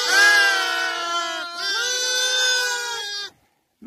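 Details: Lambs on the spring steppe of Mongolia, separated from their mothers by nomads because of the cold, calling out to answer any sound that might be a mother's call. Two long, wavering bleats, the second slightly lower, then sudden silence.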